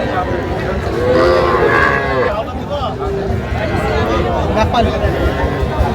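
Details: At a Bangladeshi livestock market, small Sahiwal bull and heifer calves are sold for farmers from Jamalpur and Sherpur. A drawn-out lowing bawl sounds from about one to two seconds, then fades into steady market talk and crowd noise.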